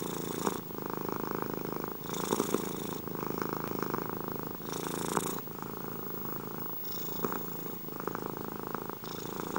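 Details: A domestic cat's loud, continuous purr, a buzzing low rumble that swells and eases with alternating breaths about every one to two seconds, with breathy hiss at each turn and nothing else audible.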